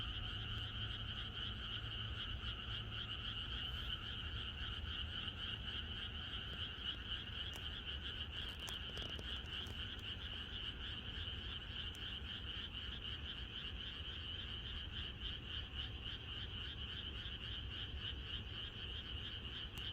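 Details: Frogs in a countryside chorus on the night before rain: a dense, continuous mass of rapid pulsing croaks forming steady high bands, unbroken for the whole stretch, over a faint low rumble.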